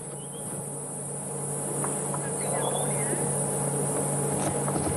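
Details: On an evening safari drive in the Sabi Sands as the day's last calls sound, cicadas give a steady, high, shrill unbroken buzz over an idling engine's low rumble, with a few faint bird chirps; Cicada.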